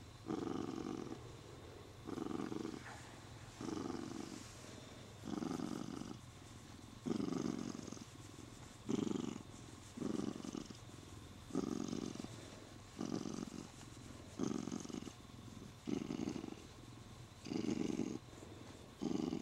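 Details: A male Siamese cat, happy while being stroked and clinging to the owner's arm, purrs steadily, a low rumbling pulse swelling and fading roughly every second and a half.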